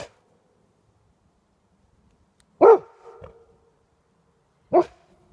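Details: Golden Retriever barking at a porcupine, one of two dogs present: two sharp, loud single barks about two seconds apart, the first trailed by a brief softer whine, with quiet pauses between.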